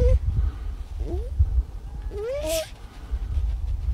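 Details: Baby harp seal giving short, rising, nasal wailing calls, one brief upslurred cry followed by a longer one that climbs steadily, over low rumbling wind noise.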